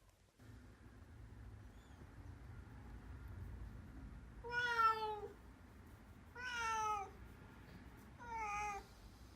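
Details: Black kitten, rescued earlier, meowing indoors as its voice changes over time; three clear harmonic meows about two seconds apart, each bending up then falling, over a faint steady hum.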